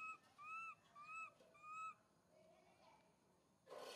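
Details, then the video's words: Young monkey MoMo calls out to mother Malika in a park, giving three clear, evenly spaced arched coos that rise and fall in under two seconds, followed by quieter sounds and a sudden burst of rustling noise. "Little MoMo try calling mom Malika in the Park"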